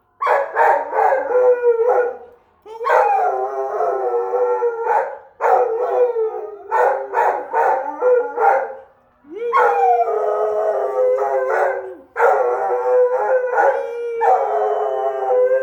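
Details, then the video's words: Australian Shepherd dog howling as a fire truck with the Easter Bunny goes by: repeated yodelling howls and yips in bursts of a few seconds, separated by brief pauses. "Sweet Lou howling at the Easter Bunny going by in the fire truck."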